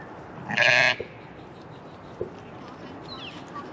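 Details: American Blackbelly (Barbados) hair sheep, three-month-old lambs being separated from their mothers at weaning; one loud, harsh bleat lasting about half a second, then quiet with faint scattered noises.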